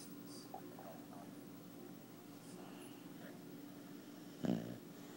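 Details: Rescued two-year-old Boxer dog under treatment for heartworms, snoring softly: a low steady rumbling drone with faint breathy texture, then a short louder snort near the end.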